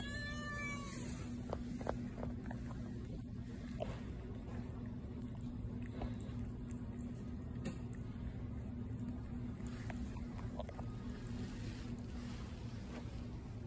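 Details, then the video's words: A cat at a pet store gives one short, wavering meow with stacked harmonics right at the start, followed by a steady low indoor hum with faint clicks and no further calls. "Meet Patti, the cutest cat at the pet store"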